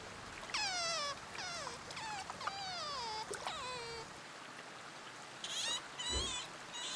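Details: Sea otter calling in a burst of loud squeals that each slide steeply downward in pitch, four or five in quick succession. Quieter rustling and short scraping noises follow.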